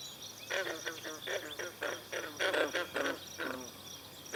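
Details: Pond chorus of green frogs at Brillion Nature Center, swallows drinking nearby. A dense run of clipped, twanging croaks comes about every third of a second, overlapping, with faint high notes above.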